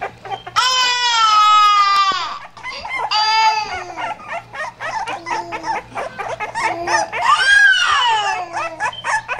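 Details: Pit bull puppies crying in long, drawn-out, wailing whines held for a second or two, then shorter wavering cries and soft low moans, one final rising-falling howl-like wail, with brief voices in the background.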